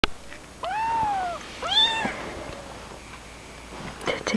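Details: Kittens indoors give two clear, high-pitched meows: the first long, arching and slowly falling, the second shorter and rising then dropping. Quiet room noise and a few faint clicks follow.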